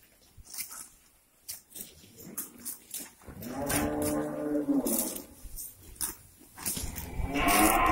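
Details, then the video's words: Grazing cows on a breeding farm, let out in the morning and making noise over fresh grass: a moderate, wavering moo from about 3.3 to 5 seconds, a brighter call rising at the close, over intermittent clatter and handling noises. "Cows Grazing | Cow mooing | Cow sound"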